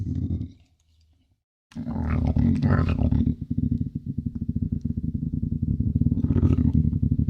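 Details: Eurasian lynx giving a deep, rapid pulsing rumble, about four beats a second, low and throaty, after a brief hush and a breathy burst; steady vibrating pulses continue to the end.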